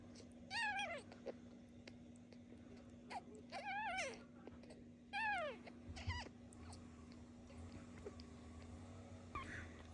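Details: Kitten Michael, fed every two hours and weighed daily to track his gain, makes a run of short arched meows, three close together early then several more, between quiet pauses and low room hum, with a clatter at the end.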